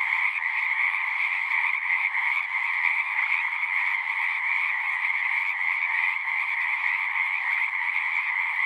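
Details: Frogs singing at a horse-pasture pond, recorded with a Zoom 6. A crowded, unbroken mass of high trills and chirps, individual voices faintly pulsing within a constant ringing chorus.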